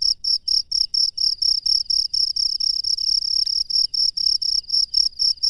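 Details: Wild cricket at night giving rapid, regular high chirps, short bursts repeated several times a second, briefly merging into a continuous trill midway, against a quiet background.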